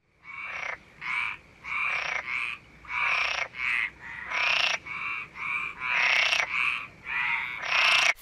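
A frog gives loud, rasping croaks about twice a second, each note short and buzzy with a nasal, high-pitched ring, in an otherwise quiet background.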